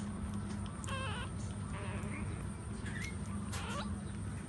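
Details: Puppies suckling from their standing mother dog produce brief, high squeals with a wobbling pitch, three or four in quick succession, over a low continuous rumble.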